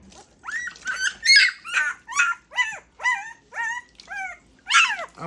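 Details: Two-week-old Great Pyrenees puppies during their first bath, giving a run of high whining whimpers, each a short arched cry rising then falling, about ten in five seconds, close and clear.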